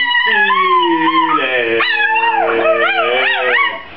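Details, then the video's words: Spike the Chihuahua singing along, giving sustained, wavering howls that slide up and down in pitch like a tune, with drawn-out notes and bending glides throughout. "Singing chihuahua"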